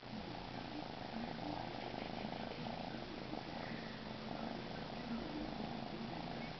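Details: Purring Siberian kitten, soon heading to a new home: continuous low, even rumbling purr with a regular pulsing rhythm across the whole recording, no other clear sounds.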